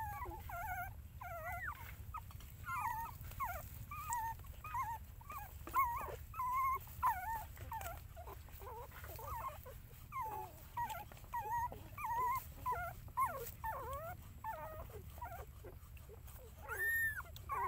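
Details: Puppies alongside their mother dog, whining continuously: clustered high squeaky whimpers and wavering whines, some rising then falling, coming in irregular bursts with brief quiet gaps over a constant low background hum.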